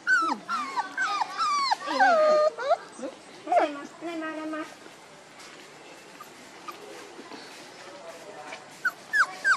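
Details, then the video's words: One-month-old puppies give high, rising and falling whimpers and yips in a quick run over the first four seconds, then quieter background with a few faint yelps near the end. "Puppies Bron 1 month 2day"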